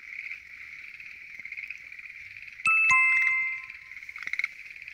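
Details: Schlegel's green tree frogs in a night chorus at a lotus pond: a dense, unbroken wall of rapid trilling, steady and mid-high in pitch. A bright ringing chime cuts in midway and fades over about a second.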